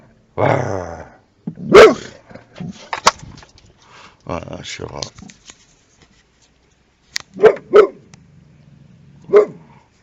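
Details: Boxer dog guarding a car and barking like a car alarm: a few sharp, loud barks, one early and a quick pair with a last bark near the end, amid people talking and exclaiming.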